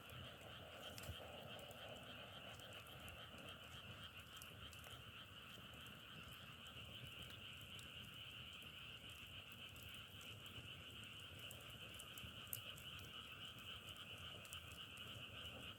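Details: Continuous massed frog calling forms an unbroken, shimmering trill across two tones, with fast irregular pulsing. Occasional sharp crackles and a low background murmur are heard.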